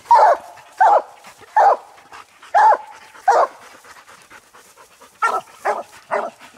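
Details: Hunting coon dogs, including old Lucky, aging Mossie and young Star, barking treed on a raccoon that never showed its eyes; a steady run of choppy barks comes roughly every second, with overlapping barks from more than one dog toward the end.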